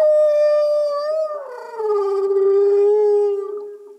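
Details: A humpback whale (Megaptera novaeangliae) sings underwater, giving a long, rich tonal moan that slides gently downward and holds steady.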